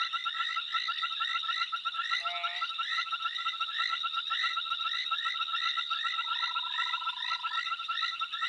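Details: A single amphibian calls into the night, repeating quick, bright chirping notes over a steady high trill.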